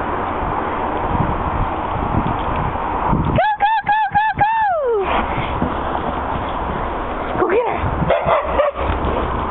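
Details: Two dogs chasing each other in a back yard, happy after a good walk: a quick burst of about six sharp, high yipping barks ending in a falling whine, later a few fainter yelps, with background noise throughout.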